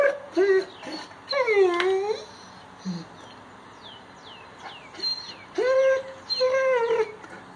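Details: Great Pyrenees dog whining at its owner, who is on crutches with a hurt hip muscle; high, bending whimpers with rich harmonics come in bursts, rising and falling, between short pauses, with the owner giving commands afterward.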